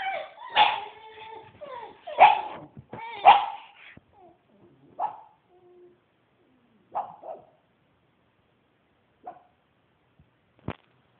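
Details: Small pet dog trying to bark like a big dog: three loud, rough, high barks in the first four seconds, then softer, shorter yips and whimpering notes spaced a couple of seconds apart, ending with a sharp click; quiet indoor setting.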